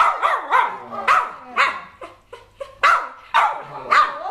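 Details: Dog in Chonburi, Thailand, greeting someone it protected before and had not seen for almost two years; bending, yodel-like yowls and short barks about twice a second, as if scolding, with a few quiet gaps between them.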